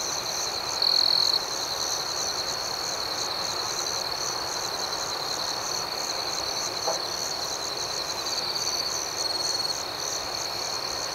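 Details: Steady shrill trilling of crickets in the night. One closer insect adds a short, louder burst early on, then the even, pulsing chorus continues alone.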